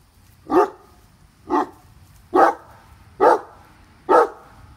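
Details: Seven-year-old Great Dane Katie leaping and bouncing after a squirrel up a tree, giving five deep, full barks spaced just under a second apart over a quiet outdoor background.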